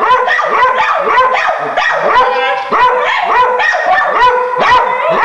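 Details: Several dogs frantically barking at a caged raccoon behind a door: dense, overlapping high barks and yips in rapid succession, loud and unbroken throughout.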